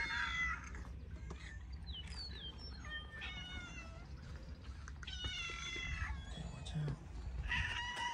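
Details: Hungry cats waiting for food, meowing repeatedly indoors: several overlapping rising and falling meows with clear harmonics, one after another, over a steady low background hum.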